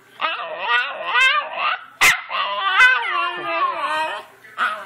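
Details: Pet dog talking back while its owner urges it to talk: long, drawn-out warbling howl-like moans that bend up and down in pitch, broken by a sharp click, with a final short yip.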